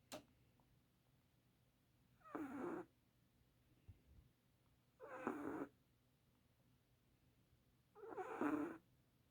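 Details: Sleeping Chihuahua snoring: three raspy, breathy bursts of about half a second each, spaced roughly three seconds apart, with near silence between them.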